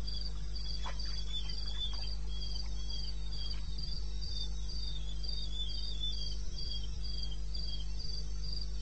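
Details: Night chorus of crickets in eastern Botswana's wilderness, recorded 02:30 on 21 May 2016, with evenly spaced shrill pulses roughly four per second and a fainter, slightly lower chirper, backed by a steady deep drone.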